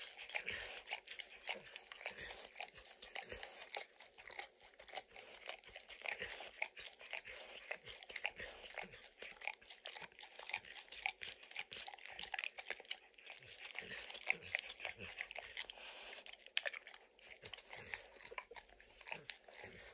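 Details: Dog enthusiastically licking peanut butter and kibble out of an orange lick mat; a long run of steady wet lapping and smacking with occasional crunches, quiet room, no speech.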